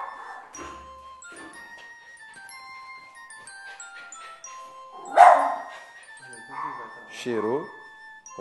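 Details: A Lhasa Apso dog being introduced to another dog by a trainer gives a few sharp, harsh barks judged to be excitement rather than aggression, over background music and a man talking; dog.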